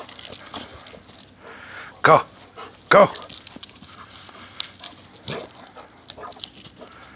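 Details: Sombra, a Xoloitzcuintli dog, barking while playing: two short, sharp barks about a second apart, with faint background sounds between them.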